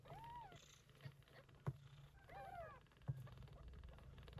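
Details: Mother cat Yupi, a short-haired Persian Chinchilla, caring for her typhoon-born kittens from early September; soft rumbling purr with two brief thin meows and a few sharp knocks.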